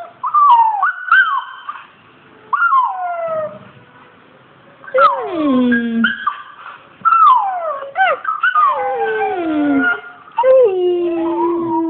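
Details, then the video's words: Male Australian Shepherd reacting to a Rottweiler puppy on screen with long wavering howls and whines, pitch sliding downward in drawn-out cries, with bursts of higher yelping whimpers between. "Kålle reagerar på valp."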